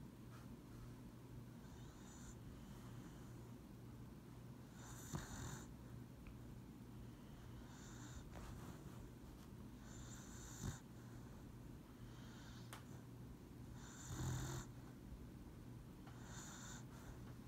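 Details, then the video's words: Lucybelle, a pet dog napping on a lap, snoring softly: breathy rasping snores recur every two to three seconds over a low steady room hum. "Dog snoring and sleeping"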